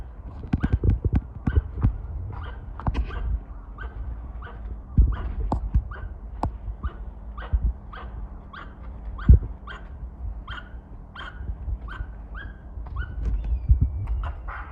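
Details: Squirrel at a shrine in Kawazu, Shizuoka, Japan, threatening birds: a long run of short, harsh chirps repeated roughly twice a second, over low rumbling noise and occasional knocks.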